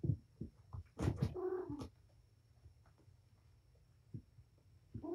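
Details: Mother cat Patience, wound up and playing with her kittens in a room at Purrfect Pals care: a sharp thump burst followed by a short tonal meow, then mostly quiet rustling with faint taps.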